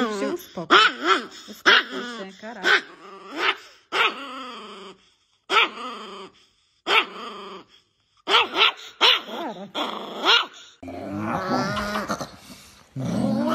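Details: Angry dog barking in short harsh bursts, several in quick succession, shifting near the end into a drawn-out wavering snarl, with a person's voice heard in places.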